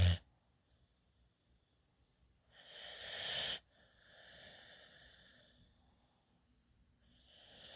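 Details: A female rescue puppy, adopted at eight weeks, sleeps in a lap with her tongue out. Quiet, airy, wheezy breathing, with one louder hissing breath near the middle and softer ones after it.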